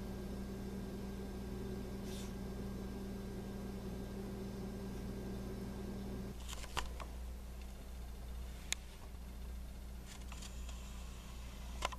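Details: Quiet indoor room tone with a low fan hum that drops midway, then a few sharp clicks and rustles, with no animal sounds.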